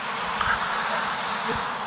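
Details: Honey bee colony disturbed during a cutout from a house wall, bees agitated and flying at the beekeeper; loud continuous droning buzz, thick and even throughout, with faint passing whines of individual bees.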